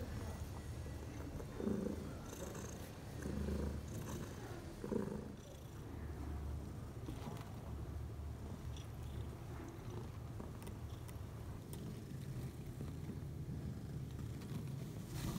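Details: Bella, a domestic mother cat, purrs six hours after giving birth overnight to four kittens, three males and one female; a low, steady rumbling purr runs throughout, with a few soft rustling bursts near two and five seconds.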